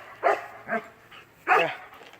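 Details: A German Shepherd gives loud, deep barks in a short, uneven series, barking over a person talking who tries to hush the dogs.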